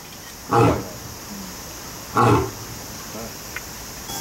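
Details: Lion or tiger held at Kyoto City Zoo, Japan, uttering two short, low, rough grunts about one and a half seconds apart, with quiet background between them.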